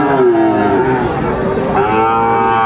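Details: Small Sahiwal calves gathered at Amabari market, bought by a farmer from Kushtia, 24 May 2024: a sustained, low harmonic moo dips, then swells again, with faint human voices in the background.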